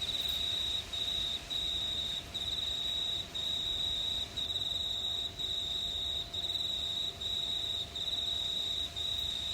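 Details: Night chorus of crickets in a quiet New South Wales town, Australia, in warm summer weather under stars; piercing steady trills repeat in near-second bursts separated by brief silences, with soft background hiss.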